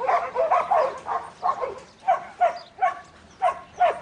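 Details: Barks from Buttons, a young male Border Collie in training: about ten mid-pitched barks, the first ones run together, the later ones cleaner and evenly spaced roughly every half second.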